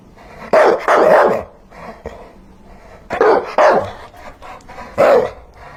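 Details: Dog barking in short bursts: a pair of loud barks, a softer one, then another pair and a final single bark, with irregular gaps between them.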